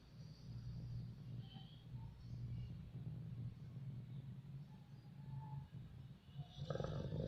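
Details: Sleeping, dreaming dog snoring: low, rough rumbling breaths repeating steadily throughout, with faint higher squeaky notes scattered above and a brief louder stir near the end.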